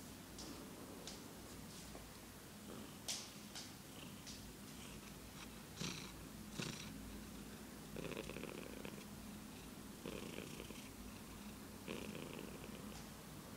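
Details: A red cat purring: a low, steady rumble runs through the whole recording, with scattered soft clicks and brief rustling bursts over a noisy indoor background.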